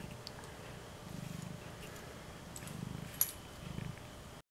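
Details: A contented female domestic cat (Felis catus) purrs happily in soft, low, rumbling waves that swell and repeat.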